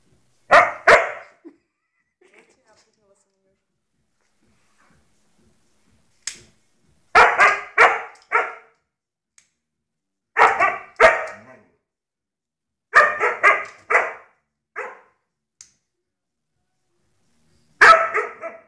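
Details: House dog barking in repeated bursts of two to four barks, spaced a few seconds apart, with faint speech and snapping sounds between bursts.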